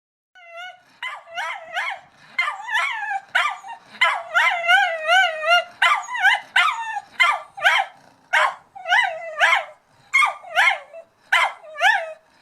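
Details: Dog barking at a cat: a fast, uneven run of sharp, high, yelping barks, some with wavering rising-and-falling tones, close to one per second and continuing without pause for about twelve seconds.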